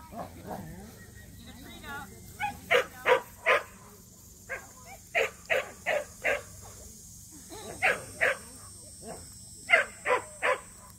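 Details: Barking at a local match show entered for the first time by two Samoyeds, Mozart and Zuko: loud, even barks spaced about half a second apart in several short volleys, soft voices between them.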